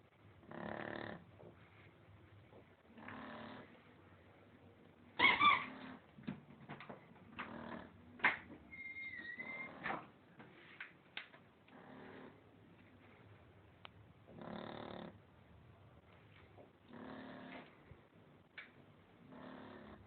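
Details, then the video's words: Shar Pei Lolita sleeping, snoring in a steady series of short, nasal, rasping breaths every two to three seconds, about nine in all, mixed with sharp clicks, a brief whistling tone and small rustling noises. "lolita roncando"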